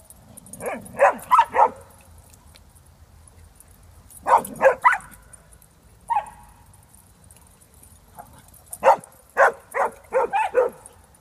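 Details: Jack Russell Terrier on the chase, giving clusters of three to five sharp yipping barks in quick bursts, separated by pauses of a few seconds.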